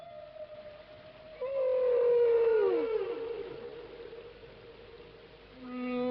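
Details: A quartet of humpback whales sing long, tonal moans with a swooping downward glide, each singing precisely the same song while apparently ignoring the others.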